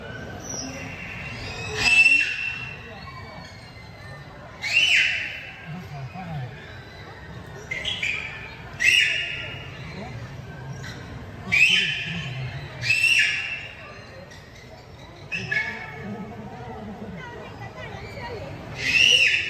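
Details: Beluga whale playing with its toys, giving bursts of bright squeaky chirps with a thin whistled tone, repeated roughly every one to two seconds across the stretch, over a faint low murmur of background voices.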